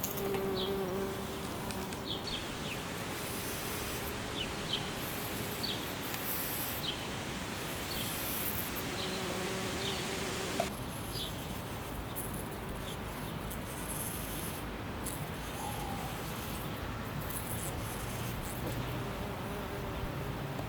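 A bumblebee's low, steady droning buzz hums beneath outdoor background noise.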